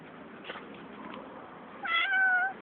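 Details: Angry and hungry cat giving a short meow near the end, a bright harmonic tone that falls slightly, after quieter background noise and faint sounds.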